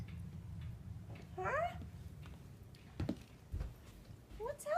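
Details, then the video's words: Lola, a normally silent domestic cat, whining indoors one morning, possibly at Blue Jays seen on the deck; two drawn-out, rising-then-falling mews about three seconds apart, with a low background hum and a brief voice. "Lola, the Silent Cat, Making Noise!!!"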